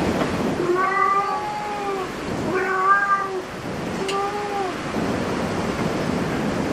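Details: Cat inside a cat cafe producing three long, even meows with steady pitch, each lasting around a second, over a constant background of indoor murmur.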